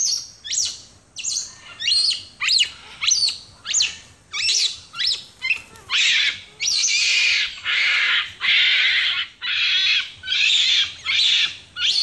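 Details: Recorded in Ecuador in April 2015, a capuchin monkey tugging at a finger gives a rapid run of sharp, sweeping chirps, then shifts into longer, rasping squeals repeated roughly once per second.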